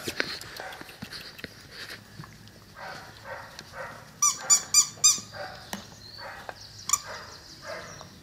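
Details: Cane Corso puppies, twelve weeks old, offspring of Axa and Bullet, let out a quick cluster of sharp, high yelps in the middle, amid softer grumbling barks and scattered outdoor bird chirps.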